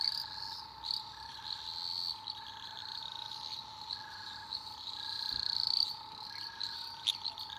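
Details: Eastern dwarf green tree frogs calling at night in Australian rainforest: a dense high trilling chorus, a steady mid-pitched drone, and short notes repeated about every half second, with scattered clicks.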